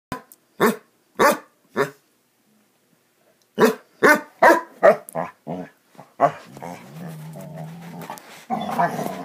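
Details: Basset Hounds playing: a series of loud, sharp barks, first three well spaced, then a quicker run of uneven barks and yips, ending in a low steady hum with a few broader noisy bursts.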